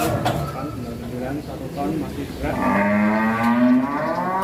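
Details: Huge, rare cattle led out of their pen; a long, steady low moo with rich stacked harmonics fills the second half, after a stretch of mixed voices and handling noise.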